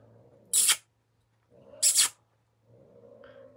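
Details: Domestic cat hissing at a person indoors: two sharp, breathy hisses about 1.4 seconds apart, each a short burst of airy noise, with a low steady hum and a few quiet spoken murmurs between.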